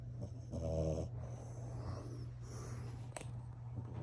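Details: A female French Bulldog snores while sleeping with her eyes open, a low rattling rasp that swells and fades over a steady hum.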